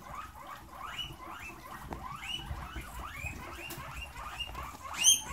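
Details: A herd of caged guinea pigs rushes for fresh veggies just put in their cage. Many rising, whistled squeals overlap nonstop, each a short upward sweep, with a sharper, louder squeal near the end over soft rustling.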